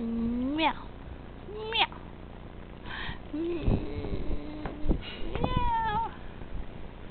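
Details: Tabby kitten Pusslin, at play, gives a rising meow that climbs and then breaks off, followed by shorter meows and a bright final one. Human speech and rustling handling noises run through the middle.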